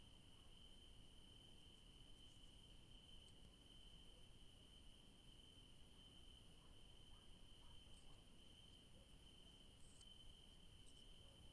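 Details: Garden crickets among yellow daisies in the evening produce a long, uninterrupted high-pitched trill at a constant pitch, accompanied by occasional faint clicks and a low, steady background rumble.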